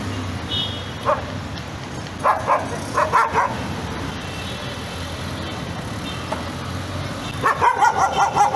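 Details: Tense, nervous dog barking in irregular bursts: a lone bark, a cluster of several quick barks near the middle, then a rapid run of yaps at the end, against steady low background noise.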